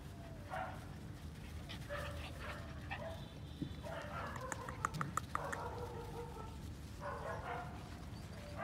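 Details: Black-tongued, fire-brindle female Phu Quoc Ridgeback making short muffled bark-like sounds in clusters of two to four, over steady low rumble with a few sharp ticks.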